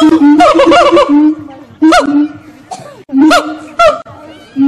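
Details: Monkeys singing at Fota Wildlife Park, Cork, Ireland, give loud, resonant calls: a held low note, then sharply rising and falling whoops repeated in short bursts separated by near-silent pauses.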